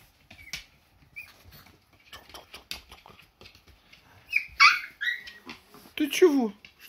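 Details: Hungry Siberian Husky puppies, already walking, chase their mother for milk; a few short high whimpers and whines with rich overtones come in the second half, over rustling and a woman speaking.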